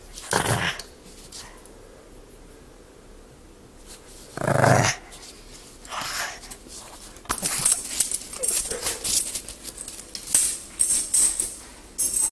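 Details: Pug puppy in a tug of war over a toy indoors, giving two loud, harsh growl bursts early and near the middle, followed by scuffling, rustling play noise and softer growls.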